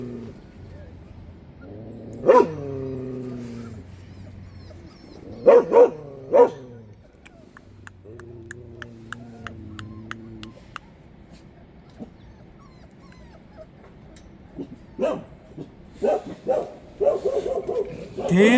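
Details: Black-and-tan female Korean Jindo puppy, first offspring of a dog named Wangja, placed with a surrogate mother on her third day and raised by her; drawn-out, tonal whines near the start, a pair of short whimpers, then a longer, softer whine, with faint background sounds.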